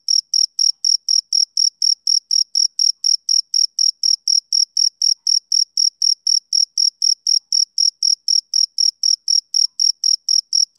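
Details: High, thin cricket chirps from a male, repeated evenly about four times a second without pause, each pulse a brief ringing buzz with a faint upper overtone, against silence.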